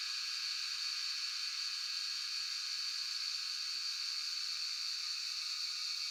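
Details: Cicada chorus (Jhyaukiri) from Shivapuri National Park, Tarkeshwor, on a cellphone recording; an even, hissing high-pitched drone, almost static-like, holding steady without pause.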